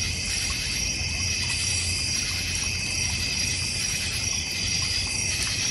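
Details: Crickets in a backyard in the North Georgia Mountains with a goldfish and koi pond, a bird feeder and a fire pit area; a dense, steady insect chorus forms continuous high shrill bands with no pauses throughout.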